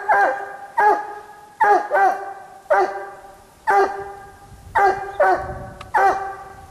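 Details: Coon-hunting Treeing Walker Coonhound holding a raccoon up a tree in the cold; a steady string of eight or nine ringing, bawling barks, some doubled, with faint rustling underneath.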